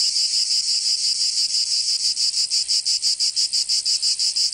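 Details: Summer cicada chorus from Provence in the south of France, a continuous shrill rasping buzz that swells into steady rhythmic pulses roughly three times a second in the second half.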